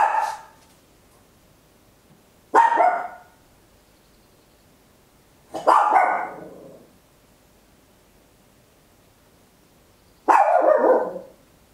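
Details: {'caption': 'Loud barking from a tiny Papillon dog, recorded in stereo at home on an Olympus LS-11: four sharp, harsh barks separated by pauses of two to four seconds in a quiet room.'}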